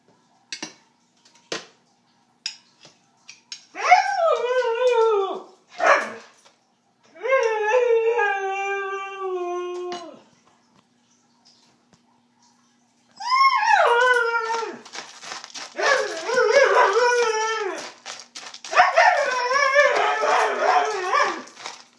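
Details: Ruby, a pet Siberian husky, talks while her dinner is prepared: short clicks, then long wavering howl-like moans with rich stacked harmonics, sliding down and rising again, in several bursts with brief pauses between.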